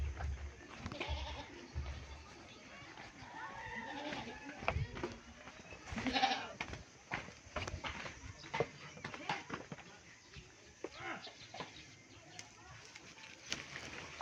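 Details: Pet goats kept under a house, bleating as fodder is brought. Short nasal cries come from more than one animal, the loudest near the middle, over scattered clatter and a person's voice.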